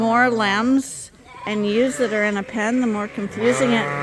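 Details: Suffolk lambs mixed into one big group in a barn after an open gate let them escape; wavering, quavering bleats in several bursts, each rising and falling, with a short quiet gap near the middle.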